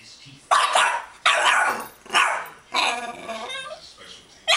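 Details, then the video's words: Boston Terriers, two dogs indoors playing at a monster under the bed: a run of loud, harsh barks, roughly one every second, broad and noisy, with a quieter whine between them. "Boston Terrier monster under the bed"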